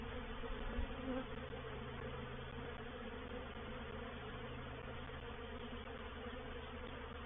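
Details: Swarming honey bees settling into a bait hive at Painted Peacock Manor on 04/07/21; a thick, unbroken buzzing hum of numerous wingbeats, a little louder in the first second, then steady.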